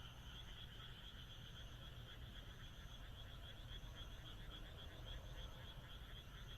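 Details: On a moonlit countryside night in Japan, massed frogs keep up a steady chorus, with rapid rhythmic pulses audible in the trilling, broken high buzzy dashes above, and a low rumble beneath.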